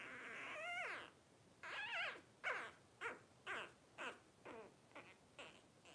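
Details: Twelve-day-old Blenheim Cavalier King Charles Spaniel puppies from a litter of five, born to Paris and Spike at New Year 2023: two long wavering squeals, then a run of short, rising yelps about every half second.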